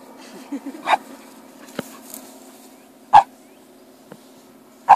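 A Shiba Inu gives three short, sharp barks spaced a couple of seconds apart over a low indoor hum.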